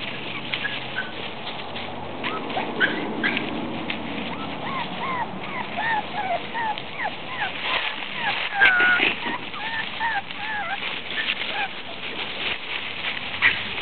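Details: Shih Tzu puppies playing in leaves, giving many short high whines and yips, some rising or bent, scattered through the recording over steady crackling leaf rustle and scuffling.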